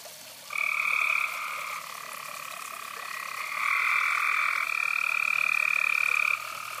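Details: Several frogs calling beside a fireside; long sustained buzzing trills run for several seconds, with two callers overlapping in the middle, over a faint steady background.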